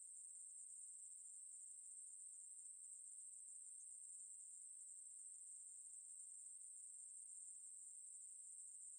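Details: Steady insect buzz of a Ruspolia katydid, a thin, very high continuous hiss sustained without interruption, from the National Institute of Biological Resources, 2020; nothing else audible.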